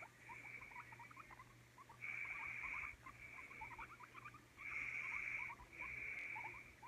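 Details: Guinea pig giving a steady stream of short, quick squeaky chirps, overlaid by bursts of a higher buzzy whine lasting about a second each, with brief quieter gaps between.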